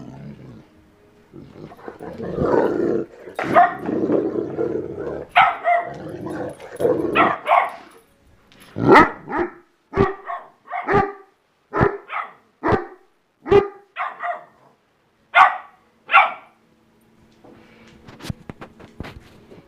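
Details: Dogs in a barking contest: first a jumble of overlapping growly barks, then a steady series of crisp, separate barks spaced roughly every second, easing off toward the end.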